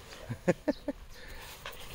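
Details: Greek Shepherd dog, one of two such dogs: four short, sharp harmonic barks in quick succession about a fifth of a second apart, followed by a softer faint sound near the end over a quiet background.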